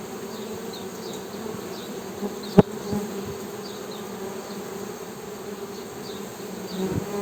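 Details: Steady low-pitched humming of honey bees with layered harmonics, one sharp click midway, and faint distant bird chirps overhead.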